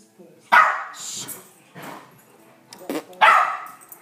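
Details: A pet dog, frightened by weird mouth noises people make, gives two loud, sharp barks about three seconds apart, with quieter human voices and hushing in between.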